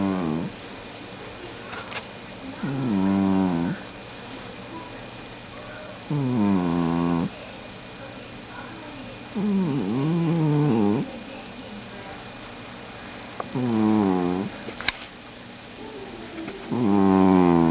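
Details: A sleeping cat snoring indoors: slow, drawn-out harmonic snores with a wavering, nasal quality, each lasting about a second and returning roughly every three to four seconds, with a steady faint hum between breaths.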